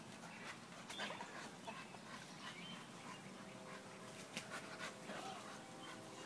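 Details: Bailey, a female dog, trimming a tree by biting off everything she can reach; soft high whining tones and breathy panting come through sharp snapping twigs and rustling branches, with faint human talk.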